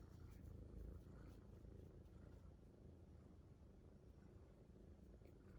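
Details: Titi, a rescued kitten, gives a low, dense purring rumble, steady and unbroken, with light handling noise.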